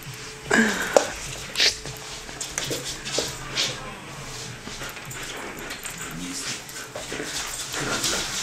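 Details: Six-month-old Alaskan Malamute playing with a ball, giving a few brief, high whining yelps early on, then quieter rustling and steady background hiss.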